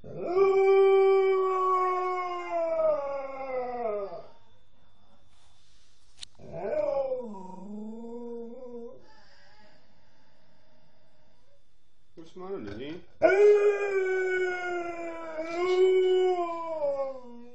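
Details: Nukka, a female Alaskan Malamute, howling as if missing her mum: long sustained rich howls around 4 seconds, a shorter wavering dip mid-clip, then another strong drawn-out howl after a pause.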